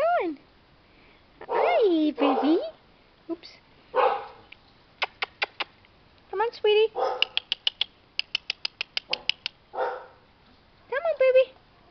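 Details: Chow Chow puppies, 25 days old, on their first time outside, whining with bending, tonal cries and rapid runs of short sharp yips, mixed with a woman's gentle voice.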